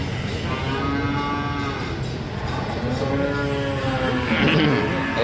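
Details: Cattle lowing while cows are being bought: a long, drawn-out moo with a steady harmonic tone, a second rising moo near the end, over a constant murmur of people and background noise.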